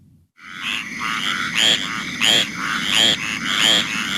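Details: Squirrel treefrog (Hyla squirella), found at four or five sites in St. Mary's, giving raspy, squirrel-like calls repeated less than a second apart, with green treefrogs calling in the background.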